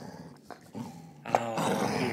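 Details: Martha, a spoiled female Basset Hound guarding her bone and refusing to share, gives a low rumbling growl that starts quiet and swells into a louder, harsher, continuous growl in the second half.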